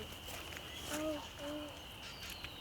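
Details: Spring peepers (Pseudacris crucifer), adult frogs at a vernal pool on a spring night (April 6, 2019) at Stony Brook Wildlife Sanctuary, Massachusetts, form a steady, shrill chorus of high whistled peeps, with a person speaking briefly.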